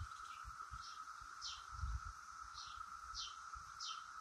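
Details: A constant, even-pitched drone from Brood X periodical cicadas in the crown of a willow oak, with a few sharp high chirps spaced about half a second apart and faint low rumbling underneath.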